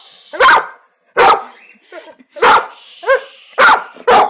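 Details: Pet dog named Beckhams barking at a new toy chicken: about six sharp, loud barks over four seconds, spaced roughly half a second to a second apart, with one softer, more tonal bark in between and a quiet background.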